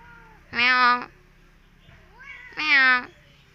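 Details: Orange striped cat visiting a home gives two clear meows about two seconds apart. Each is a drawn-out, harmonic mew lasting about half a second, with quiet room sound between them.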